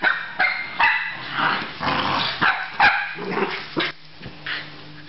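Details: Australian Terrier giving a rapid series of short sharp barks and yips, roughly two to three per second, with a low steady hum underneath after four seconds.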